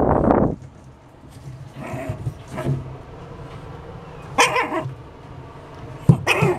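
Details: A pug lets out one loud, low, rough bark at the start. Shorter, growly barks follow near the middle and again at the end over a steady low background hum.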